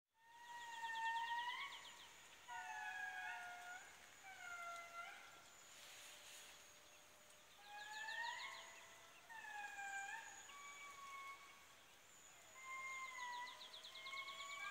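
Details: Indris at Andasibe, Madagascar, wail in chorus, long siren-like notes swooping up and down and overlapping between voices.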